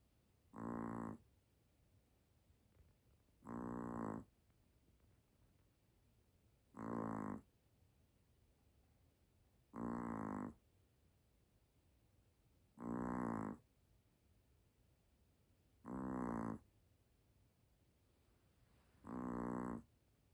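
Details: Snoring dog fast asleep: seven even, throaty rasps at a steady rhythm of about one every three seconds, with quiet pauses and a low indoor hum between them.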